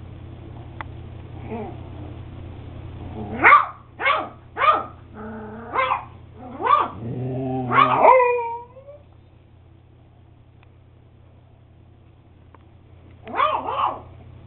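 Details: Eight-week-old beagle puppy Max yapping in a rapid run of high, rising-falling yips and barks over about five seconds, then a final pair after a pause, steady low hum beneath.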